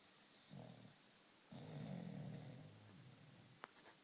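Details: Sleeping Jack Russell terrier lying on his back snores softly: a short low rumble, then a longer drawn-out snore lasting about two seconds, followed by a small click near the end.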